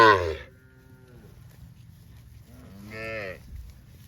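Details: Tame cows from a cattle herd running in green grass rice fields; a short moo opens, then a fainter drawn-out low moo and a brighter, higher moo around three seconds.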